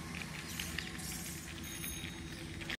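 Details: Several hundred bats hanging in a banyan tree behind Dharmaraj temple at Darodanga, about 10 km from Guskara, chitter with scattered short, squeaky notes over a steady low rumble, in dim light.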